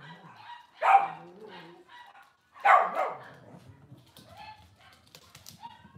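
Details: Cavalier King Charles Spaniel filmed on a home kitchen camera one cloudy Monday morning, giving two loud, harsh barks about two seconds apart, followed by quiet clatter and faint room noise.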